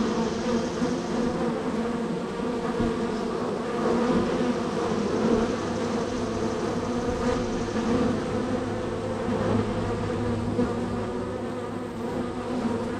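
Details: Honey bees at hive number three in a row of hives, extremely active, coming and going at the entrance; a dense steady droning hum with layered low tones, swelling slightly in waves, no other sounds standing out.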